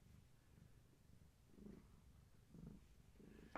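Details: Gaia, a pregnant long-haired tabby cat, purrs during a weight check indoors. A short low rumble pulses with her breathing, and a sharp tap sounds at the end.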